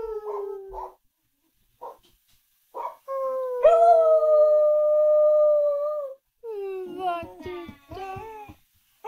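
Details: Australian Kelpie bitch trained to howl: a few short whining yips, then a sustained clear howl of nearly three seconds that rises and holds steady, ending in a run of broken, wavering yelps.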